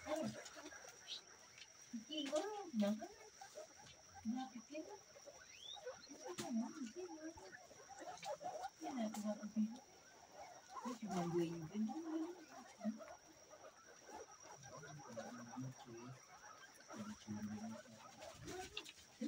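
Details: Local guinea pigs give low, rumbling purrs and brief squeaky notes in uneven bursts spread across the recording, several calls overlapping, over a constant faint electrical hum and scattered knocks.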